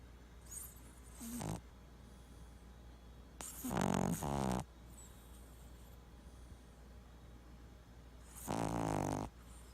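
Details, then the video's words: A Boston Terrier asleep and twitching, snoring in three separate rough, buzzy bursts, each about a second long, with quiet breathing between them indoors. "Boston Terrier Freaky Snoring And Twitching Compilation"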